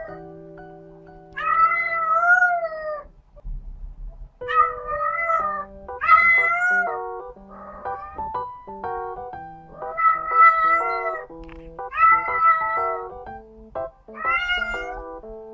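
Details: Female stray cat in heat giving loud calls that tell males where she is, common in warm weather before the breeding season; about six wavering, nasal yowls in irregular succession, accompanied by light background music.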